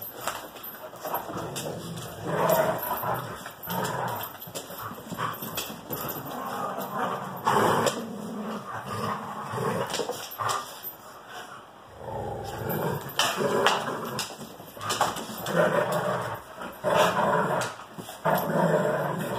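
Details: Pet dogs, Greyhounds with a French Bulldog, playing roughly together: bursts of throaty growls, snarls and short yelps in uneven flurries, separated by brief pauses, with occasional human voices in the background.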